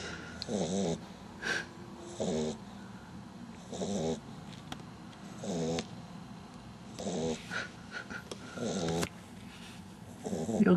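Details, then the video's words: Snores from Butters the dog, asleep, recorded 27 June 2009. Raspy, rattling bursts repeat at a loose, uneven rhythm, about one every second and a half, separated by quiet pauses. "Butters Snoring"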